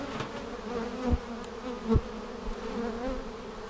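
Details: Honey bees at a hive being opened on March 10, 2019, seven days after a vertical split with a double screen divider board: steady low droning hum with a higher overtone, a few sharp knocks from handling the equipment.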